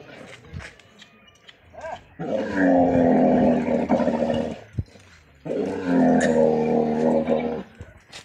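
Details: Camel angry with its owner, giving two long, deep, gurgling bellows of about three seconds each, separated by a short pause, with rough growling tones throughout.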